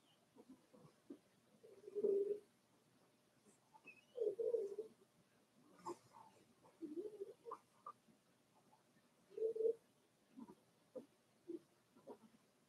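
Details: Four-week-old Cavalier King Charles Spaniel puppies from Daisy's litter in their puppy pen: soft, low, cooing whimpers come in short bursts, about five over twelve seconds, with faint clicks and rustling between them.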